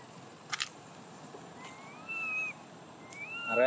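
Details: Baby macaque in Siem Reap Province crying loudly while looking for milk: two thin, whistled cries that rise and level off, each about a second long, over faint background hiss and a few clicks.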